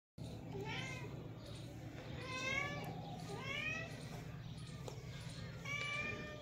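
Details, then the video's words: Domestic cats in a cat family with kittens, several short harmonic meows at about one, two and a half, three and a half and six seconds, rising then falling, over steady low hum and background chatter. "Cute Cat family | Cats love | Meow 😺"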